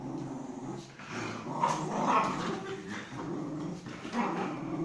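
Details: Pomeranian Rikki during playtime, a low rumbling growl running throughout with short yips breaking through, recorded indoors.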